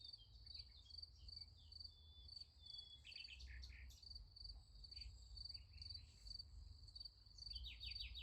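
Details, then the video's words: Crickets at night beside a sunflower field: a steady, high, finely pulsed trill runs throughout, overlaid by scattered sharp chirps and quick falling sweeps from other callers, with a low rumbling hum beneath. "Nice Sunflower Field with Crickets Sound Effect"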